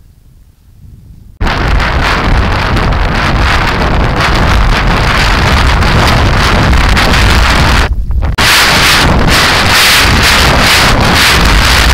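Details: Loud, constant wind buffeting a microphone, with rushing noise from a fast-moving ride; no animal voices stand out.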